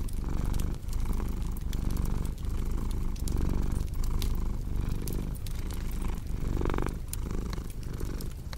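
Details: Cat purr, a deep continuous rumble rising and falling in breath-length cycles about every second, with sharp snaps and crackles of a wood fire throughout.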